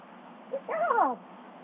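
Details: Captive female bobcat at Big Cat Rescue, given a popsicle: a brief, slightly wavering meow-like call, with a short note leading into a descending tonal cry of about half a second, while a person praises her in a soft voice before and after.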